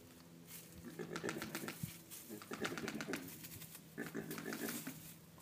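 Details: Javelina in a herd, one clicking its teeth after noticing a person nearby, alerting the others and trying to scare the intruder off; rapid bursts of sharp dry clicks in three clusters, with low rumbling grunts underneath.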